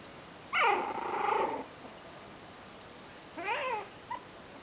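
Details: One-month-old Yorkshire Terrier puppy making its first bark: a drawn-out, harmonic yelping bark lasting about a second, then a shorter falling yip a couple of seconds later and a tiny squeak, over quiet room hiss.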